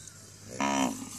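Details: Native cattle of the Bangladesh–India border area; one loud moo of about half a second, a steady harmonic-rich low call starting abruptly and fading, with a man calling out to the animal just before and after.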